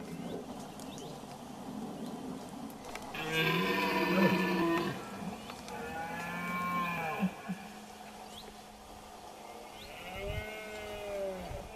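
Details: Red deer stags in the Sierra de la Culebra, September 2016, give deep, drawn-out bellowing roars during the rut while two males fight as rivals near the groups of females.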